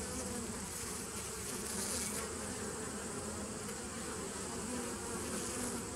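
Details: Drone of bees in a nucleus colony begun in 2017, dated 27 September 2018: a constant layered buzz, a slightly hissy brightening near two seconds, otherwise even throughout.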